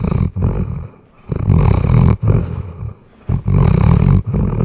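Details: Weimaraner asleep, captured on a RODE NTG3B microphone, snores loudly with low, rattling, snorting breaths about once a second, each long rough inhale broken by brief quiet gaps.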